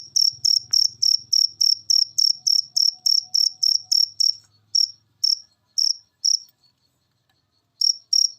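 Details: Cricket from a masteran recording played so caged birds become keen singers. A brisk run of shrill pulsed chirps slows into scattered single chirps, then near silence before two more, with a faint low hum early on.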